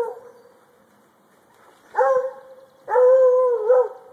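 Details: Male Treeing Walker Coonhound treeing, baying up a tree: two drawn-out, even-pitched bawls, the second longer and louder, each with a sharp attack and a held ringing tone, separated by a faint lingering echo.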